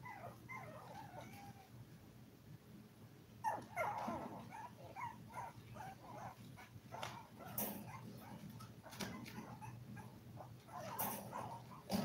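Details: A litter of seven Toy Poodle puppies, five weeks old, eating, playing and sleeping: scattered short whimpers and squeaks come in small bursts between quieter stretches, with clattering knocks and a low background hum.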